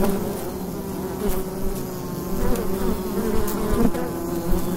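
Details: Bees droning at a wild hive entrance on an autumn day: a continuous low, buzzy hum with stable tonal bands and gentle swells as bees come and go.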